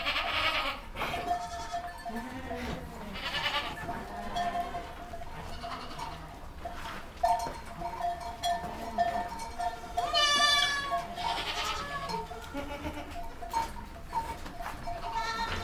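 Young goats give wavering, nasal bleats at irregular intervals, some climbing high and shrill.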